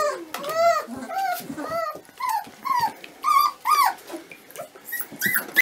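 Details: A litter of 25-day-old Dobermann puppies whine and squeal in high, arching cries that overlap one another.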